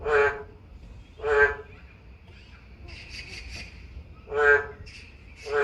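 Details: A boreal digging frog (Kaloula borealis) living in a manhole under a car in summer, in Deokgye-dong, Yangju, Gyeonggi-do, Korea, gives loud, nasal bleating calls, each about half a second, repeated at uneven intervals.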